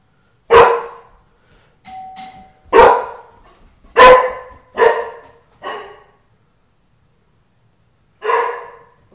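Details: Tukoma, a pet dog protective of his house, barks loudly at the doorbell: a harsh bark, a brief two-note chime, then five more irregularly spaced barks, the last after a pause of over two seconds.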